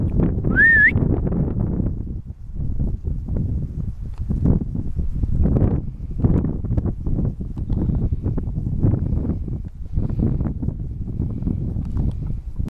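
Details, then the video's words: Marmot in the mountains of Vanoise, near Pralognan on the Félix Faure refuge trail: one sharp rising whistle at the start, followed by only buffeting wind noise. "Marmotte Vanoise"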